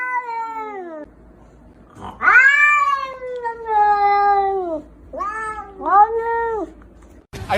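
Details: Domestic cat yowling indoors in a funny cat compilation: a drawn-out falling wail, then a long rising-and-sagging yowl, then two shorter bent meows, all strongly harmonic with brief quiet gaps and faint background hum.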